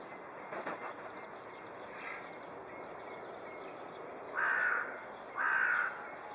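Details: Red panda (Ailurus fulgens) at Dresden Zoo, recorded May 9, 2011, gives two short, squeaky, slightly harsh calls about a second apart.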